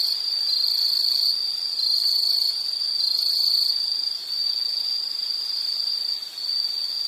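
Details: High insect trilling in a soothing nature recording, shrill buzzy phrases running together with a few short breaks and slight wavering in loudness over quiet background hiss.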